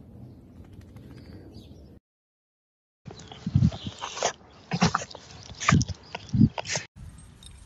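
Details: Dachshund, a sausage dog, giving a short series of sharp yips and whimpering barks in irregular bursts after a brief silent cut, over low background rumble.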